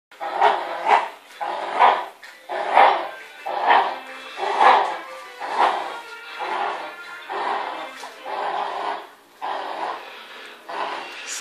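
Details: Bichon Frisé dog barking during a mock 'attack'; sharp, evenly spaced barks about once a second for over eleven seconds, each a short harmonic yap, with faint steady tones underneath.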